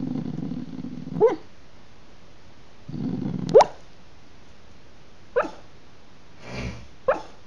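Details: Sleeping Staffordshire Bull Terrier puppy, dreaming, gives four brief squeaky yips at irregular intervals between soft breathy low rumbles and a short rustle.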